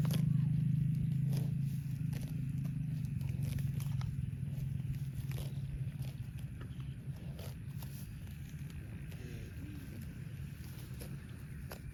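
Low rumbling with crisp crackling and tearing sounds, like grass being cropped and trampled, but no calls.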